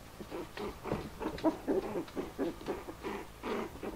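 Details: Four-week-old Bichon Frise puppies playing and play fighting, out of their basket for the first time and very excited; short grunting yips come in quick bursts roughly every half second, indoors.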